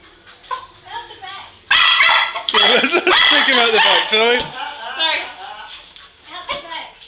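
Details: Pet English Cocker Spaniel Hurley chasing Christmas balloons; a sudden burst of loud, strained, overlapping barks and yelps, with quieter voices and whines before and after.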